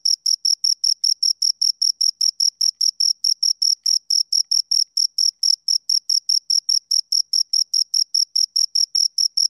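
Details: Close, steady chirping of two crickets, a long run of evenly spaced, shrill pulses at a fast clip; clean background with nothing else audible.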